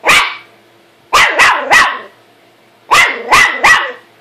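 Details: Dog named Buddy barking at his reflection: one bark, a pause, then two rapid triplets of sharp, ringing barks.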